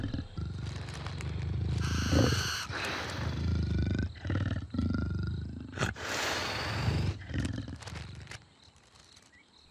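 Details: A female leopard (Panthera pardus) growls in deep, rumbling bursts while about 30 feet up a tree, tearing at a barn owl nest to catch the huddled owls. Scratching sounds and a man's narration are mixed in.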